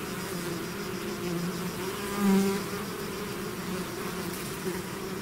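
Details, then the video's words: Many bees buzz as a swarm leaves its hive; continuous humming drone with one individual passing close and louder around the middle, its tone briefly swelling then fading. "bees therapy swarm natural buzzing sound"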